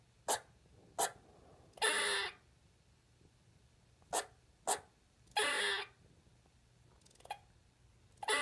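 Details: Pet squirrel kept indoors, making its first vocalisations. Two sharp, short clicks are followed by a longer, harsh, hissing huff. The pattern repeats twice, then comes a faint lone click and the start of another huff.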